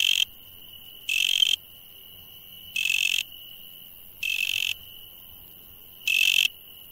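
A night insect holds a steady high trill, broken by loud, harsh buzzing bursts every second or two.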